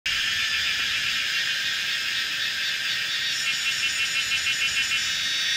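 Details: A dense chorus of Kaempfer's cicadas at 17:30 on 19 May 2016, at a mountainside bend in Pinghe village, Taiwu, Pingtung, Taiwan: a steady, high, hissing drone with a pulsing rhythm emerging later.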